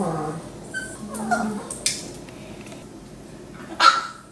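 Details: Indoor pet Maltese dogs, a family including the daughter Blue, make a few short high yips and whines, the loudest near the end, with quiet room noise between.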